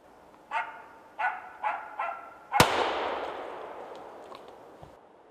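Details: Hunting Norrbottenspets (Pohjanpystykorva) in Finland: four ringing barks in quick succession, then a single sharp, loud bang that fades slowly, followed by quiet with faint distant sounds.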